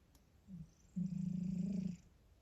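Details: Domestic cat indoors, one of a household pair named Vasya and Tisha: a soft low note, then a steady, droning, low-pitched tone lasting about a second in a quiet room.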